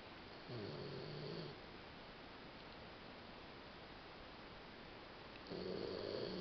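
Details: Sleeping female Labrador Retriever named Mel, worn out after playing all day and troubled by nightmares: two deep, buzzy snores about five seconds apart, each around a second long, with a long steady hiss in between.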